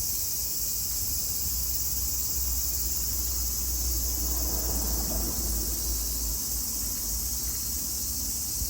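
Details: Cicadas singing in Japan in summer 2022: a constant high, hissing drone over a low rumbling background, the buzz holding steady throughout.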